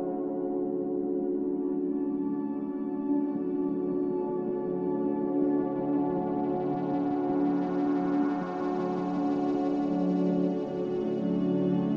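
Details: Soft ambient music with sustained, ringing bowl-like tones fills the recording, and no buzzing or other animal sounds come through.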